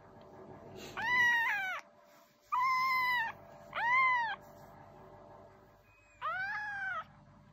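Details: House cat indoors repeating plaintive meows, four calls of under a second each that rise then fall, the second flatter, with pauses between and a steady faint hum behind.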